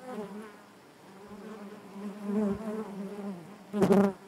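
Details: Hive interior full of honey bees humming in a low, wavering drone that rises gently mid-clip, then a loud close buzz flares up near the end.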